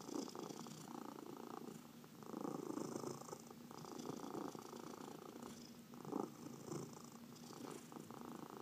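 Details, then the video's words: Purring from domestic cats during a massage, in a household of four that includes senior rescues Heidi and Dinah. The low, throbbing purr swells and fades in rhythmic waves, with nothing else clearly heard. "Four Purring Cats — Cat Massage"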